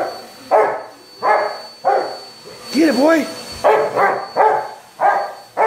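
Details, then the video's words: Rottweiler named Onyx going after a vacuum cleaner; a run of heavy, throaty barks spaced under a second apart, broken midway by a short higher whining, yelping sound, with machine hum continuing underneath. "ONYX THE ROTTWEILER ATTACKING THE VACUUM LIKE A WILD BEAST"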